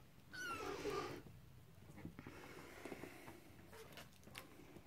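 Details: Cornish Rex and Scottish Fold kittens on their first time out give a clear, drawn-out meow with a slight downward slide and stacked harmonics, followed by soft rustling and light knocks around them.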